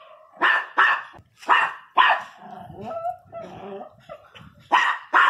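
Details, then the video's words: Pinscher barking fiercely: four loud, sharp barks in quick succession, then a brief whiny, wavering vocal sound before two more barks close the sequence. "pinscher 1 bravo latindo"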